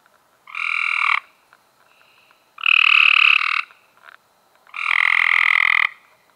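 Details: Close, loud Cope's gray treefrog in May 2016 producing three harsh buzzing trills of about a second each, two seconds apart, with a faint softer trill in one gap.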